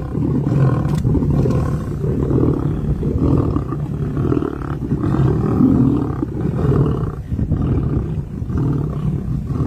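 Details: Lions of the Nkuhuma pride on a giraffe kill in Kruger National Park, South Africa, on 14 September 2023, after two males left the carcass. Deep, rumbling growls and snarls continue steadily throughout, low-pitched and sustained with brief swells.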